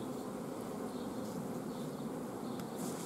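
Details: Honey bee colony at an apiary on 14 June 2016, where a lack of forage has made the bees block the queen from laying and refuse any egg; a dense, steady buzz of many bees fills the recording without pause.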